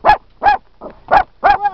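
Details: Dachshund chasing a buffalo at Yellowstone National Park: five sharp, bright barks in quick succession, about one every 0.35 seconds, each short and clipped.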